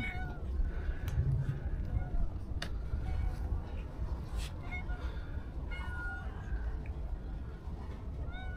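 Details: Several short, faint meows from hungry homeless stray cats crowding around at feeding time, scattered through the recording above steady low-pitched background noise and sharp clicking sounds.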